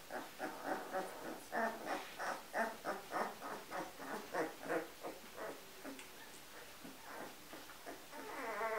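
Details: Giant Schnauzer of the vom Windpark G litter, born 10 January 2015 to Dark Sihu vom Haus Usti and Edgar von Ermada; rapid run of short, high, harmonic yelping whines, about three per second, fading into softer trembling whimpers near the end.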